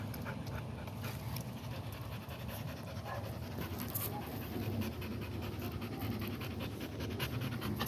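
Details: Rhythmic, hoarse panting by an American Pit Bull Terrier, with short noisy in-and-out breaths repeated rapidly and evenly over a droning low background.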